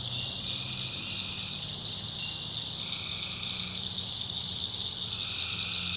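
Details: Tree frogs calling at night in a North Carolina backwoods swamp: a dense, steady high trill chorus with overlapping buzzy bands switching on and off, a lower droning hum underneath, insects blending in.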